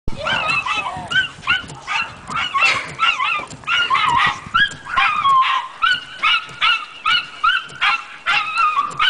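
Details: Chester, a dog, barking at windshield wipers: a fast, excited run of high, yappy barks and whiny yips in uneven bursts, several per second, with no other clear sounds.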